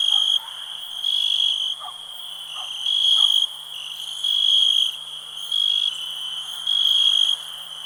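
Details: Ringing cricket chirps pulse repeatedly, each burst lasting roughly half a second above a steady high drone, with a few faint clicks early on.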